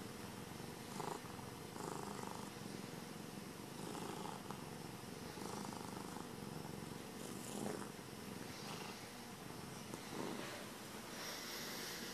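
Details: A happy domestic cat purring continuously, a dense low rumble with rhythmic breathing swells throughout, close and steady with no other sounds.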